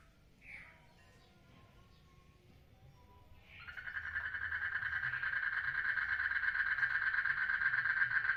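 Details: Frog calling while mating in a water lily pond: a short rising chirp, a pause, then a loud, steady pulsed trill that swells and runs on to the end over a quiet low rumble.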